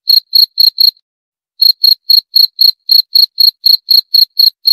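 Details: Cricket gives four quick high chirps, pauses about half a second, then resumes the same even rhythm of short pulsed chirps, about four per second, with no other sounds.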